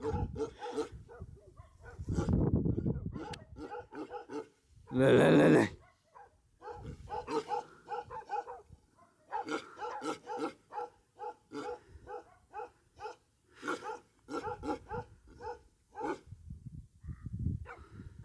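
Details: Bhote Kukur (Himalayan sheepdog) dogs kept on a farm at Kali Pokhari, eastern Nepal, just over 3,000 meters up; deep, harmonic barks repeat irregularly, with one loud noisy burst midway and occasional human voices.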